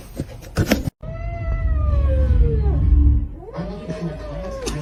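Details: Domestic cat giving a long, drawn-out meow that slides slowly downward for about two seconds, then a shorter second meow, over steady low rumbling background noise with a sharp knock just before.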